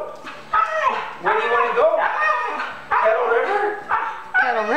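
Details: A male Siberian Husky, excited about going for a walk or hike with another dog, makes long, wavering, talkative howls and whines that rise and fall in pitch while his owner talks to him.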